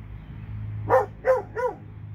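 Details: One of two Alabama dogs gives three quick barks in a row, each a bit softer than the last, over a low background hum.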